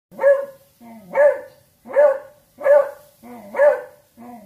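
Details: Talkative beagle giving a run of rising, yodel-like barks, five strong calls about one per second, each with a howling upturn, softer grumbling notes between them.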